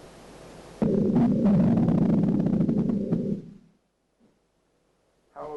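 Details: Red hind call played as an example of fish sounds during a lecture on underwater imaging: a low, dense, pulsing rumble lasting about three seconds, then silence and a brief spoken word.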